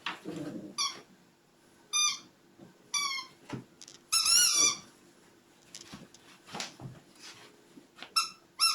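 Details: Puppies giving high squeaky calls indoors in a small room, short harmonic yelps rising and falling, several bursts over about nine seconds with quieter shuffling between.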